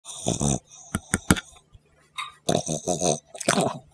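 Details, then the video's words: Dog recorded close up for ASMR, giving wet, snuffling snorts and grunting breaths in irregular bursts: a long rasp at the start, quick short snuffles near the one-second mark, then a run of throaty snorts later on. "The Best Dog ASMR"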